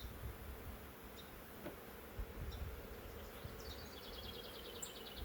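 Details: Massive honey bee swarm caught in a swarm trap from a wild hive living in woods for three years, being transferred after the drive up: steady low droning hum throughout, with a rapid high twittering bird trill late on.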